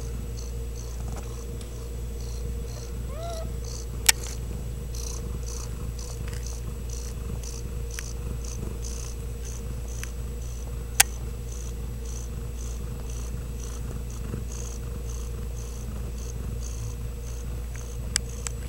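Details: Home-raised, uncaged Ragdoll kitten from a central Kansas cattery purrs steadily in a regular breathy rhythm, with one faint mew early on and occasional sharp clicks over a low hum.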